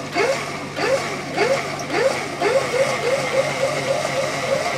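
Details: Excited barking from an Afghan Hound during AKC lure coursing open finals, November 2019: a run of short arched barks roughly every half second, growing softer and quicker toward the end, with a constant low mechanical hum underneath.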